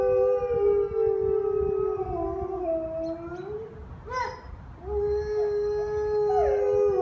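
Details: Gray wolves at El Paso Zoo howl to one another in long, smooth, mid-pitched tones that slide slowly downward and overlap.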